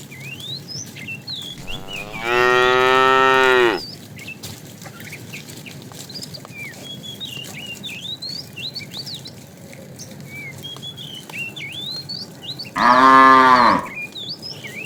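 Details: A fat cow calls the female while a herd of tame cows is driven along in the afternoon. Two long, loud moos are separated by about nine seconds, with constant bird chirps in between.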